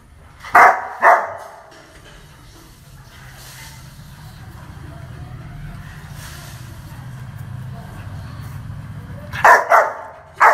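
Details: A dog barking aggressively: two loud, sharp barks near the start, then a pause filled with low rumbling background noise, then another burst of three harsh barks at the end.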